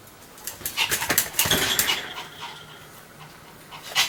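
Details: Pomeranian dog barking continuously: a burst of sharp, noisy yaps packed close together in the middle, then quieter stretches with a final sharp yap at the end.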